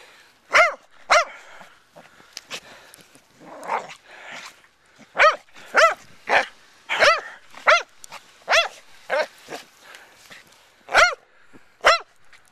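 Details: A Corgador (Corgi–Labrador mix) playing in snow on January 10, 2011 barks in quick, uneven bursts of sharp, ringing yaps.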